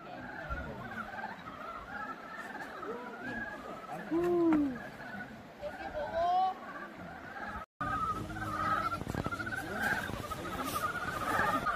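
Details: A chorus of Dybowski's brown frogs gives short, overlapping clucking mating calls over rushing stream water at Guryong Valley, Chiaksan, South Korea.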